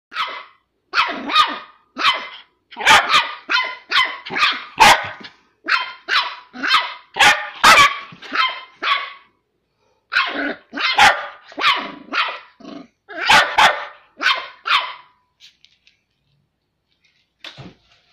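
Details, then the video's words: A 10-week-old male Smooth Fox Terrier puppy lets off a rapid volley of sharp, high-pitched barks at another puppy, seemingly asserting his authority in play. "Smooth Fox Terriers barking mad!"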